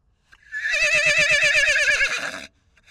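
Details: Wild foal separated from its mother at the Salt River, Arizona, recorded with a long-range microphone: a loud, high, quavering whinny lasting about two seconds, its tone wobbling rapidly throughout, fading at the end.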